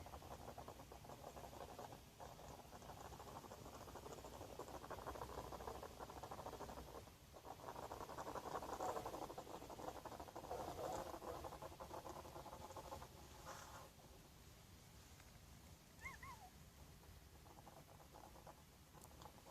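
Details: Hedgehog taking up residence in a garden box, snoring in quick rasping pulses that build to a louder stretch midway, then ease off; a brief high chirp sounds near the end.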